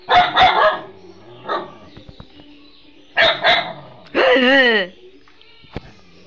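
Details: Pet dog barking at the owner's wife it does not recognise: bursts of rapid barks, then a drawn-out, falling yelping bark, mixed with scolding human voices.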